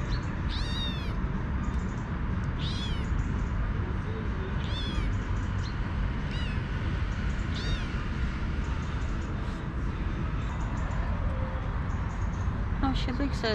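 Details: Stray kitten, a little female, begging her mother for milk with a run of five short, high meows that rise and fall, about every two seconds, over a continuous low rumble.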